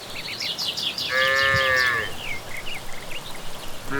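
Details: A single higher-pitched moo lasting about a second from cattle walking home from grazing in the evening countryside. Lively birdsong chirps before and after it.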